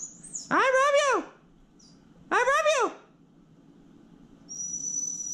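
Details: Two loud arched, yodel-like calls from Sparky the rescue Basenji, each rising then falling in pitch over about half a second, separated by a pause of roughly a second, with a faint thin whistle-like tone before and after.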